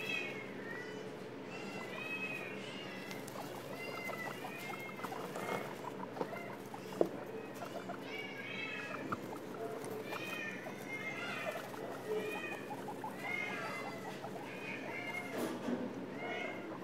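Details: Litter of guinea pig babies just 11 days old, in care at PHS/SPCA after their stray mother gave birth there, calling in a busy chorus of short rising-and-falling whistled squeaks, many callers overlapping, with a soft pattering background.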